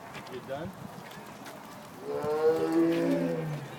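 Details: Captive tiger at the Detroit Zoo on 7/3/2010, making odd growling noises: a low, drawn-out harmonic moan rising in strength over the last second and a half, after quieter murmurs and background voices.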